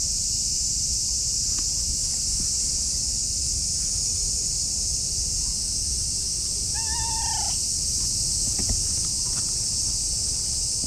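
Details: Affectionate orange tabby cat rubbing against a person's legs, giving a single short meow near the seven-second mark: a falling, harmonic-rich cry lasting under a second, set against a steady high-pitched hiss from insects and faint outdoor rustling.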